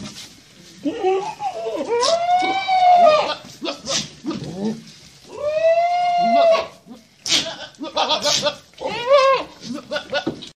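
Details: Boer goats on a crossbreeding farm; long, wavering bleats with rich harmonics, two drawn-out calls and a shorter broken one, mixed with laughter and voices.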